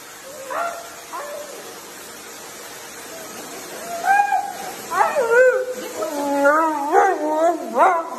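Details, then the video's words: Siberian Husky being dramatic with quiet, whining yodels that grow louder, a series of short rising-and-falling moans clustered over the last four seconds. "huskies being dramatic"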